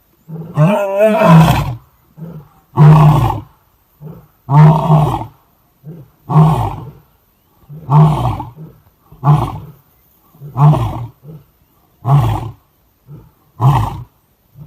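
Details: Lion roaring during a fight over food in Kruger National Park, South Africa: deep grunting roars repeated about every one and a half seconds, loud low pulses with short softer grunts between them.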